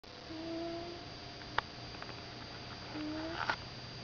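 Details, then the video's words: Misty, a 15-year-old Persian Himalayan cat, snoring indoors: faint tonal nasal breaths drawn out in slow, level wheezes, with a couple of small clicks and a steady background hum. "Misty, The Snoring Cat"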